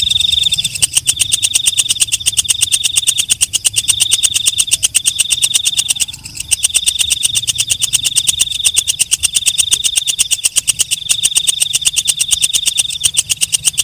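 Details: Night-singing walang kecek katydid: a continuous fast ticking, many clicks each second, layered on a sustained shrill high tone that pulses in loudness with brief dips, and a faint low hum beneath.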